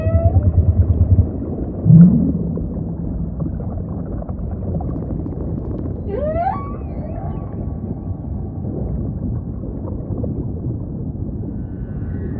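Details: Humpback whale song under a dense low ocean rumble: a brief deep grunt near two seconds, then a single sharp upsweeping squeal around six seconds, otherwise mostly underwater hiss.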